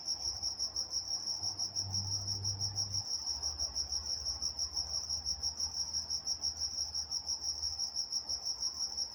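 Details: Crickets chirping at night in Walnut, California: a shrill, regularly pulsing high tone about three pulses a second, with a brief low hum early on beneath the chirps.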